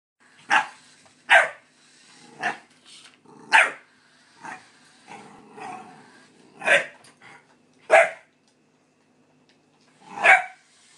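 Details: A pit bull puppy indoors gives sharp, high-pitched barks at irregular intervals of about a second while running from and barking at a light-up remote-control toy car.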